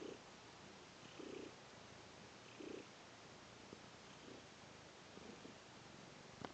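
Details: Domestic cat kneading on a sheepskin, purring: a low, soft rumbling purr that swells in short pulsing bursts roughly every second and a half over a steady background hiss, with a faint click near the end.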